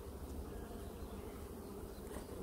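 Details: Honey bees working on rebuilt comb in a hive super during a frame inspection; a steady low dense hum runs throughout without pauses, with a faint brief higher buzz near the end.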